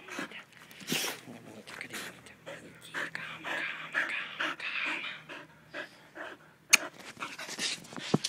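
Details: Happy dog panting in quick, breathy rhythmic puffs indoors, over a person talking nearby, with a sharp click near the end.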